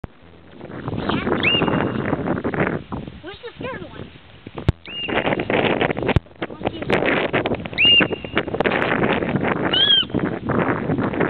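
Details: A hoary marmot at Lake Louise, Banff, gives loud, high, piercing whistles, spaced a few seconds apart, over heavy background noise.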